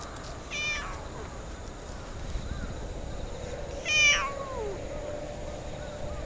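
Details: Orange tabby stray met in a park utters two bright, harmonic-rich meows roughly three seconds apart, the second louder and longer, with faint background noise between them.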